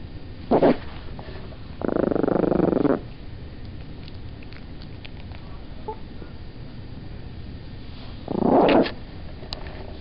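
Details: Olive, a pet Chihuahua, growls at being picked up while trying to sleep: three low rumbling bursts, a short one first, then a longer sustained growl of about a second, and a final burst after a quiet pause with faint room noise.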